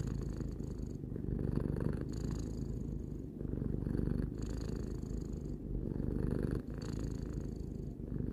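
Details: Tarou, three-year-old house cat, gives a sustained relaxed purr: a low, grainy rumble pulsing with each inhale and exhale, swells recurring about every two seconds.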